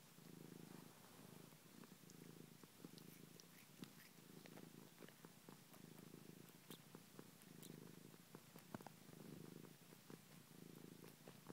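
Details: Purring from Ninja the cat, busy sucking on a finger: quiet throbbing low purr in breath-length waves roughly every one and a half seconds, dotted with soft clicks.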